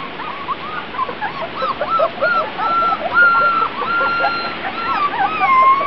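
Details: Outdoors for the first time, Grand Basset Griffon Vendéen pups from a B litter, recorded 23.06.2009, let out overlapping squeaky yelps and drawn-out thin whistled whines that climb and slide down, several voices at once.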